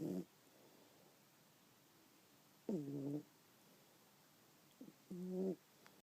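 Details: Sleeping pet cat Dante snores like a fat old man with serious sleep apnea; three gravelly, rasping snore breaths at irregular intervals, each under a second long, with a soft click near the end and near silence between.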